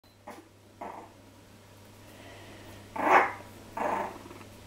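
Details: Three-week-old Jack Russell Terrier puppies of a litter, mouthing and tasting each other; several short squeaky grunts and yelps around one second apart, the loudest two in the second half, over a steady low hum.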